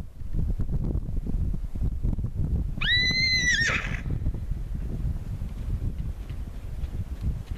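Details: Estonian Native horse Voore Algrim, a gelding born 4 June 2013 and bred at Voore Tallid, gives one high, harmonic-rich whinny lasting about a second midway, over a constant heavy low rumble like wind.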